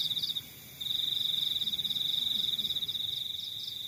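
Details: Cricket in the countryside: a short opening trill, a brief quiet gap, then a long continuous shrill pulsed trill, with softer higher-pitched pulses from another cricket in the background.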